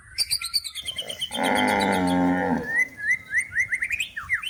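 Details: One long, steady, deep moo of about one and a half seconds from cows herded through the forest to the livestock pen while seeking food, with a fast series of rising bird chirps after it.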